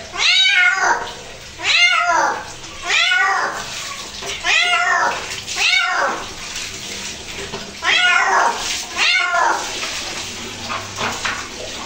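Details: A pet cat being bathed meows over and over, about eight loud, falling-pitched cries roughly one to one and a half seconds apart, with faint water running underneath.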